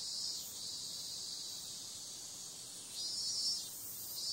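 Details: Continuous high cicada drone on a summer night, mostly even, with brief louder swells near the start, around three seconds and at the very end.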